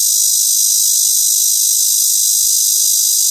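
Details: A robust cicada (참매미) sings a loud, shrill, high-pitched buzz that runs unbroken and steady from start to finish, drowning out any other sound.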